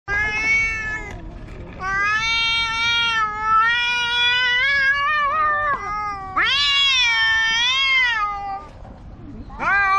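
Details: Two black cats quarrelling loudly: long drawn-out wailing yowls with rich harmonics, wavering and rising in pitch, sustained for a second or more each, overlapping and alternating between the two animals.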